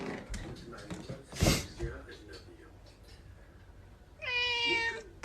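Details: Pet cat lets out a single clear, drawn-out meow near the end, after quiet room noise, a thump and faint voices.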